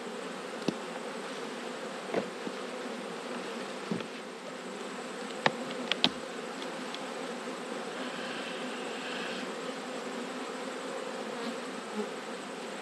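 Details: Honey bee colony buzzing in autumn as one of 12 Australian beehives is inspected. The drone is dense and even throughout, broken by a few sharp clicks and taps of equipment.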